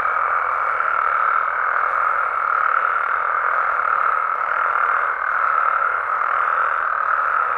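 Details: In Mexican amphibian habitat at night, many frogs and toads call together, forming a dense, even, mid-pitched trilling chorus that holds steady throughout with only slight swells in loudness.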